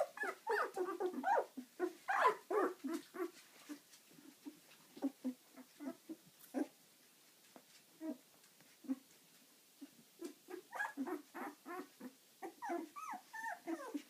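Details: Dog puppies, eleven days old, squirming about: rapid run of short squeals and whimpers, louder bursts at the start and end with a quieter stretch of soft grunting in the middle.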